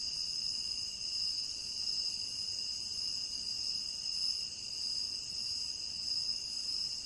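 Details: Crickets in a tropical rainforest trill steadily in high, continuous bands, a dense chorus with no pauses.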